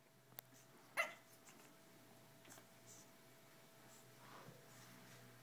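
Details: A pug gives one short, sharp bark while playing, with a soft click and quiet room noise around it.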